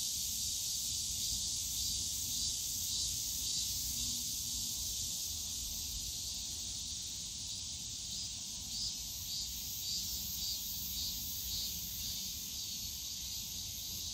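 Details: Cicadas buzzing in the bamboo forest of Yongsan Family Park in summer, a constant shrill hiss with faint regular pulsing woven through it, over quiet low-pitched park background.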